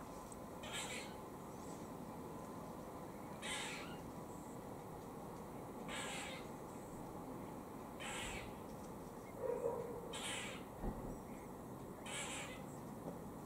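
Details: Squirrel in Cambridge, UK, on 17 October 2020, making warning noises while eating: separate harsh, breathy barks roughly every two seconds. A brief faint tonal sound sits in the middle, with low ambient rumble throughout.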